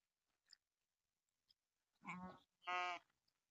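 Two wavering, nasal bleats from goats or sheep, the second louder and steadier, after a few faint clicks.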